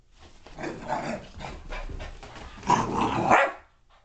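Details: Dallas, a female boxer puppy aged five months, playing indoors in a burst of energy, gives rough, noisy growling barks that build steadily, peak in a louder burst after two and a half seconds, then stop abruptly.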